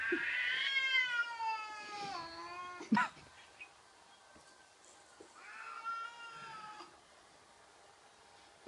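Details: Indoor cat facing a cat-shaped balloon: a long, falling, strained meow, then a sharp thump, a pause, and a second shorter wavering meow, with light background rustle.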